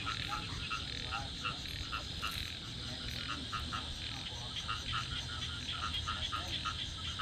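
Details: Loud chorus of frogs in the rice field behind a house: many overlapping short, clicking croaks repeat steadily throughout, forming a dense pulsing din.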